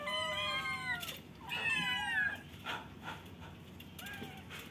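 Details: Caged kittens meowing to get out: a long high meow followed by several shorter overlapping cries, some bending downward, amid constant background hiss and scattered clicks.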